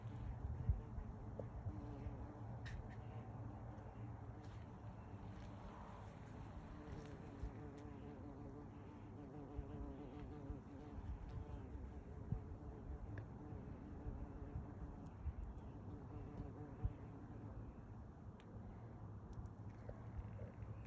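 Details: A big bumblebee buzzing close up as it goes about its business in a family's yard. A steady, low droning hum with even overtones runs throughout, with scattered faint clicks and light background hiss.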